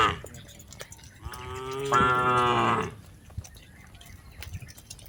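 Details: Herded tame cattle in a rice field: a single drawn-out moo of nearly two seconds, growing louder in the middle, then quiet field background.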